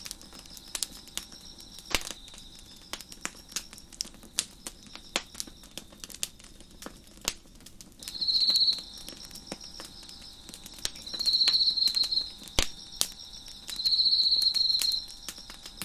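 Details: Crickets chirp behind a crackling fire on a deck. The first half is soft, steady high ringing. Then come three loud, high buzzy trills of about one second each, a few seconds apart, with frequent snapping fire crackles.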